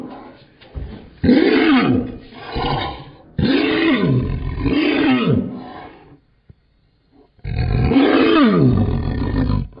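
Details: An angry Maltipoo, upset because its owner is holding another dog, gives loud, rough growls in long bursts, each sliding down in pitch like a roar.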